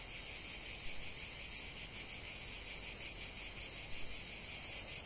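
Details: Cicadas in chorus, heard as a dense, steady, high-pitched buzzing that throbs in rapid regular pulses about three times a second throughout, with no other clear sounds.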